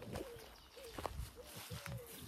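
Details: An excited male Rottweiler heading out for a walk whines in four thin, slightly falling tonal whimpers about half a second apart, with a person talking softly nearby.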